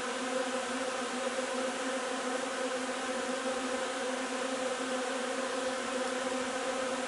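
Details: Steady collective drone of a honey bee colony at the hive, foraging on linden nectar on 3 June; the hum holds a level pitch with faint wavering, continuous for the whole stretch.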